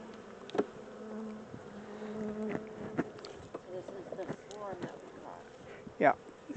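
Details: Caught honey bee swarm, the second one, during transfer from a temporary small box to a larger hive; low continuous buzzing with scattered sharp knocks and handling noises, short bursts of nearby talking.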